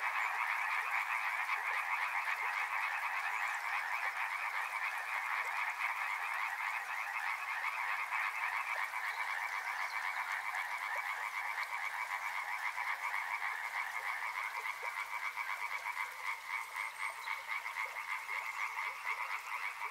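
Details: Massed frogs along a river, countless rapid croaking pulses merging into a constant buzzing band that eases slightly louder, then softer.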